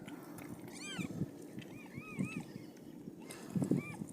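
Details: Siamese cat giving birth to five kittens; a short burst of several quick, arched meows and softer mewing, with low thumps and rustling in the background.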